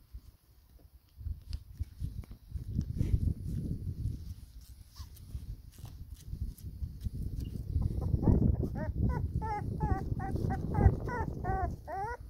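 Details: Four-week-old pedigree black Labrador Retriever puppies with their mother, feeding in sunshine; low rustling and suckling-like rumble, then from about eight seconds a run of rapid high squeaky whimpers, several per second.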